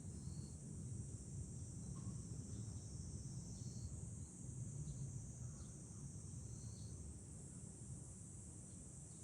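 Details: From a hilltop viewpoint over Fukuoka city, Japan, in July, cicadas keep up an unbroken high, sizzling drone throughout, set against a heavy, steady rumble of wind and a few soft, short tones.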